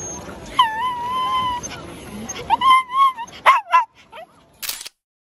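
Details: Hanimaru, a pet Shih Tzu kept by a family, during its daily May walk routine, 1–5 May 2023: two drawn-out, steady, high whines, each about a second long, followed by a few short yelping yips and a brief rustle.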